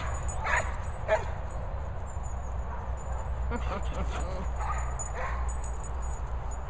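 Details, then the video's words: Cocker Spaniels Finlay and Murphy chasing swallows outdoors: a few short, sharp barks and yips, some spaced about a second apart, others bunched together, over a steady low rumble of wind, with a human voice briefly heard. "Cocker Spaniels Finlay & Murphy chasing Swallows."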